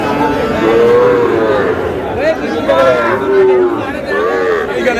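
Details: Sahiwal cattle at a busy livestock market in Comilla, Bangladesh, where a Sahiwal bull calf is bought. Several short lowing moos, each under a second, with gently arching tones, rise over constant crowd chatter and men haggling.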